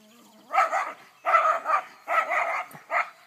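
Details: Schipperke, an AKC-registered dog named Skipsity Boudreaux, on his farm: four sharp barks in quick succession, each a short burst with a brief pause between, preceded by a faint low whine.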